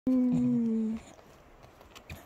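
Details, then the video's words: Patterdale Terrier indoors gives a single steady howl lasting about a second, holding one level pitch before stopping abruptly, followed by quiet room noise. "Patterdale terrier singing"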